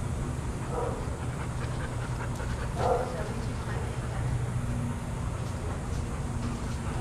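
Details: Adoptable shelter dogs playing and running together at a daycare; two short, hoarse barks stand out near the first and third seconds above a constant low rumble, scuffling and faint clicks.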